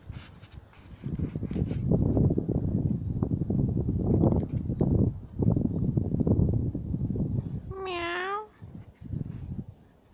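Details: Cat behind a fence while a cocker spaniel searches for a way to climb through or dig under; several seconds of loud scuffling and scraping, then one short wavering meow near the end, with faint rustling after.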